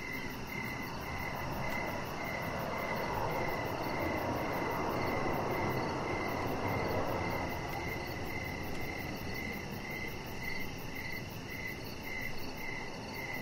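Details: Crickets in the evening by an outdoor deck: a rhythmic string of high chirps continues while a broad, swelling rush, like a passing vehicle, rises and fades in the middle.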